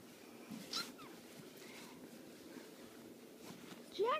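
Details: Domestic cat meowing: a brief faint call near the start, then a clear, short, rising meow at the very end, over quiet indoor background noise.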